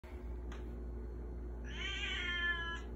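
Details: Baby Girl, a cat begging for food, gives one drawn-out, strongly harmonic meow that rises slightly and holds steady for about a second, after a brief faint click, over a constant low hum.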